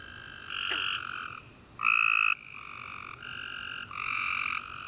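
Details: Night chorus of tree frogs after a rainy summer day: overlapping buzzy trills, each lasting up to a second, one louder caller standing out near the middle, others continuing at lower volume behind it.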